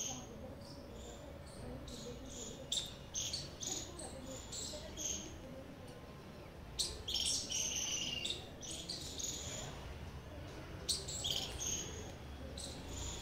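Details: Repeated high, harsh chirps from a squirrel, roughly two or three per second in irregular bouts, with louder clustered notes near the middle and a quiet hum underneath.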